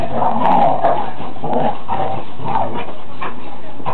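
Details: Two big dogs playing rough, play-fighting; repeated low growling and snarling bursts, about every second, with scuffling, mixed with low-frequency handling noise.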